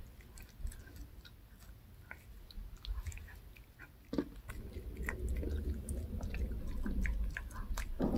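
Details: Indoors, the dog Reka chews a handmade fish-shaped bun dog treat; steady crunching and smacking about three times a second, growing louder and denser toward the end, with low thumping underneath.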